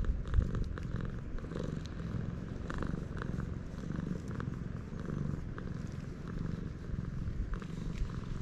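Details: Stray cat on a Japanese cat island, filmed with a GoPro HERO8: a steady low rumbling purr runs throughout in soft pulsing waves, with faint outdoor background noise.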